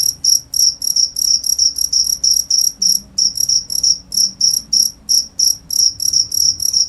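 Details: Cricket chirping in a steady run of short, high, pulsed chirps, about three per second, bright and ringing, with only a faint low hum beneath.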